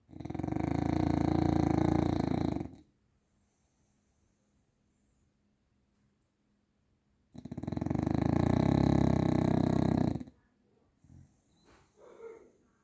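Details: Grizzly, a bulldog, asleep and snoring: two loud, gravelly, vibrating snores nearly three seconds long, separated by about four seconds of silence, followed by a few small snuffles.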